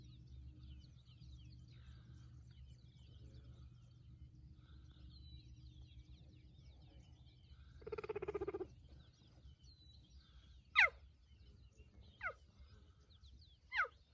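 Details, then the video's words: A male cheetah coalition calls for a nearby female, recorded at close range from a parked vehicle on Thanda Safari in 2020: loud, sharp chirps dropping steeply in pitch, every second or two. "CHEETAH CALLING - WHAT A PITCH!"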